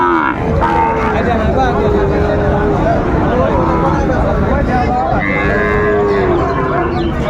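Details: Sahiwal bull calves at Raniganj livestock market, Dinajpur, on 18 April 2024: several drawn-out lowing moos with harmonic bands overlapping, steady crowd chatter and market noise throughout.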